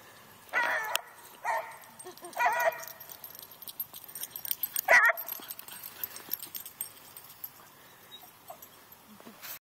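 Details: Mini Rat Terrier and Beagle playing, one chasing a ball and the other chasing both; three loud barks in the first three seconds, a sharp yelp near five seconds, then scattered thumps and scuffling noise.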